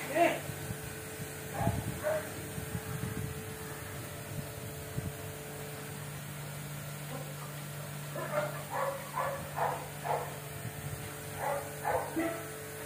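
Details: Golden retriever puppies giving short, high, harmonic yips, a couple early on, then a quick run of squeaky yelps in the last five seconds, over a steady low hum.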